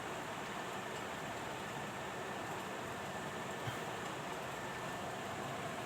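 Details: A constant broadband hiss and hum, like a passing train or machinery, fills the recording with no animal sound heard.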